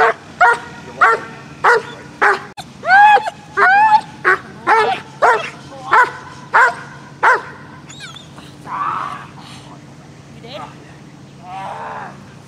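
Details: An aggressive dog, not playing, barks in a rapid run of about a dozen harsh, evenly spaced barks, then falls to softer whines and faint yelps at the end.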